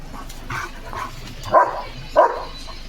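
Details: German Shepherd Leo on guard at the gate against passing sheep gives two clear, sharp barks about half a second apart after fainter, muffled ones, over a low background murmur.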